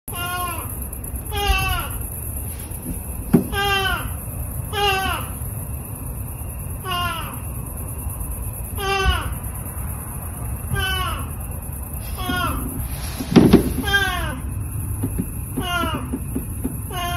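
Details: Two Oriental Shorthair cats meow over and over in short, nasal, downward-sliding cries.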